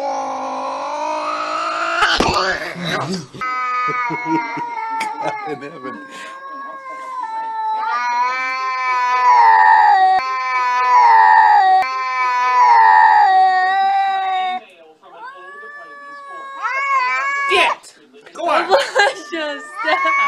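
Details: Cats fighting: long, drawn-out wavering yowls that swell and sag in pitch, held for several seconds at a time, broken by harsh noisy bursts of hissing and spitting near the start and again toward the end.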